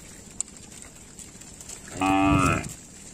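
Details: Tame village cow roaming fields near a village lake, a single short harmonic moo lasting about half a second, heard after a quiet stretch with a steady high hiss behind it.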